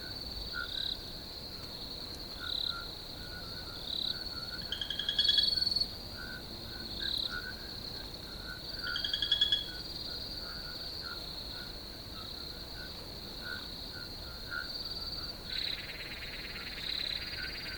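A field chorus of crickets gives a steady, high, shimmering trill with soft lower pulsing notes.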